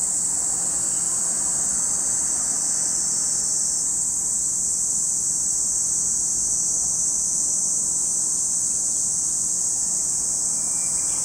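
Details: Lake Kamo in Sado City, Niigata, Japan, filled with a shrill, continuous cicada drone at high pitch, unvarying from start to finish, above a low background rumble.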